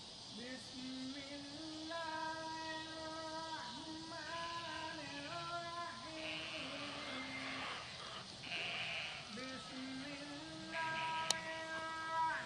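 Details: Sheep answering a farmer's call: several wavering, harmonic bleats overlap, rising and falling, some long and steady, with a sharp click near the end and faint background noise.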